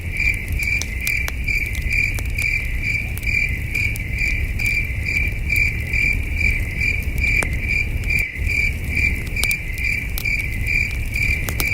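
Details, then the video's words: Crickets at night by a campfire in the wilderness: an unbroken, even, high-pitched chirping pulse at a brisk regular pace, with frequent wood-fire crackles and a deep steady rumble underneath. "Soothing Cricket Sounds"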